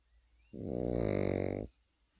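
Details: Single drawn-out snore from a sleeping Pekingese puppy, a low, rapidly fluttering rasp lasting just over a second, rising and fading smoothly.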